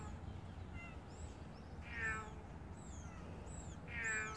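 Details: Large stray cat outdoors giving two drawn-out meows about two seconds apart, each with a bright harmonic tone, over a steady low background rumble with faint high chirping sounds.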